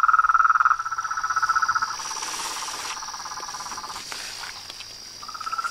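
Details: Rapid pulsing trills from a frog and toad chorus, loud at first, then softer and more scattered, with a brief pause before a trill resumes; a steady high whine and faint patter sit behind.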